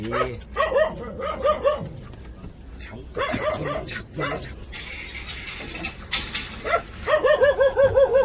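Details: Jindo puppies at a Korean national dog association, whining and yipping in wavering, high tonal cries that come in bursts, with rustling and handling noise between and a renewed run of quavering whines at the end.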